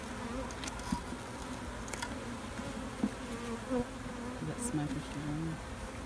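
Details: Bees drone steadily inside a hive being checked for its new queen and eggs; a low layered buzz with occasional light taps and scrapes from moving frames.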